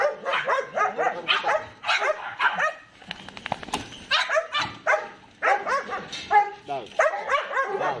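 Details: Belgian Malinois named Ammy at the time of a microchip implant: short, harsh barks in quick bursts about twice a second, with brief pauses, some voice-like sounds mixed in.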